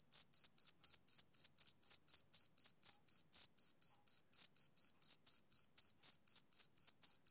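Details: High, piercing chirps from a male cricket on a summer evening, short clean pulses repeating roughly four per second at a constant level, the rhythm mechanical and steady against a silent background.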